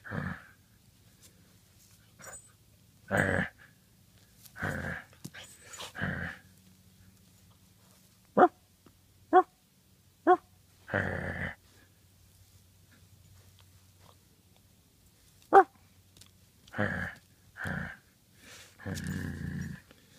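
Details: A 9-week-old Great Pyrenees puppy named Badger plays with a toy dog indoors: rough puppy growls and a few sharp little barks, irregular bursts with short snappy yips near the middle, quiet gaps between.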